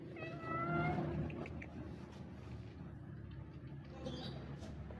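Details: Stray street cat that looked happy and ran toward a person, giving a short, clear meow near the start with a slightly rising then falling tone. Afterward there is only soft background noise and a low hum.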